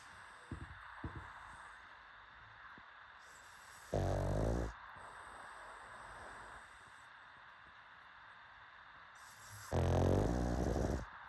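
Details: Pugs asleep and snoring, with a few soft snuffles, then two long, low, rasping snores about six seconds apart over a quiet steady hiss.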